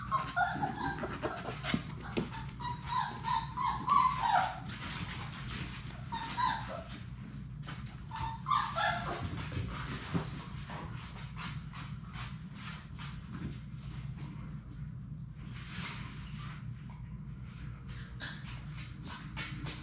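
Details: Six young Labrador Retriever puppies from one litter playing together in their puppy play room; high, wavering whimpers and short yips cluster in the first seven seconds, then give way to scattered scuffling and clicking over a steady low hum.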